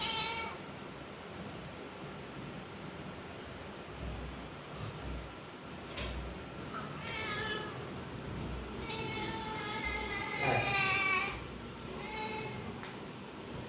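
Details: Domestic pet cat meowing repeatedly indoors: a short cry at the start, then a series of rising and falling meows, the longest and loudest near the end, with quiet pauses and faint room noise between calls.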